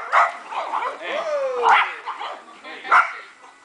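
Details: Dogs at play in a backyard dog park, 29 March 2008: scattered loud barks every second or so with softer yips between, mixed with people talking and a brief sliding tone.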